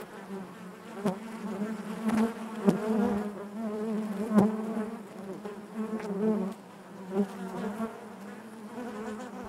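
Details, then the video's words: Massed honey bees droning in their hive, a low continuous buzz layered with harmonics, punctuated by short clicks and taps and bursts of louder buzzing from nearby bees. "bees therapy hive natural buzzing sound"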